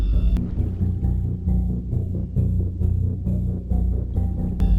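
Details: Deep rumbling orchestral music with pounding drums and timpani, and no animal voice anywhere.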